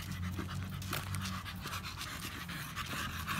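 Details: Rapid, even panting from Samson the American Bully while exercising at the gym. Airy huffs repeat a few times per second over a constant low drone.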